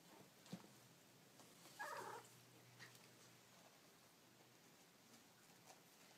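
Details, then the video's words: Baby kittens making cute noises: one brief, wavering high mew about two seconds in. The rest is quiet apart from a few faint clicks and a steady low hum. "Baby Kittens Making Cute Noises"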